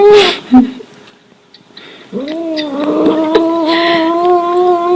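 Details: Domestic cat's strange call inside a room: a brief squeak and thud, a pause, then a long drawn-out moaning meow that rises at the start and holds steady for almost three seconds.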